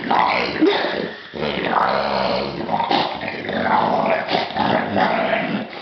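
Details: English Bulldog puppy, happy about his new toy, making a steady stream of snorting, grumbling growl-like noises for several seconds with a short pause near the middle; no other clear sounds.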